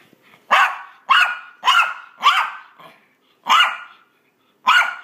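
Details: Maltese pet dog playing fetch and making fierce-sounding play noises: six sharp, harsh yaps at uneven intervals, each with a slight tonal edge and quick fade.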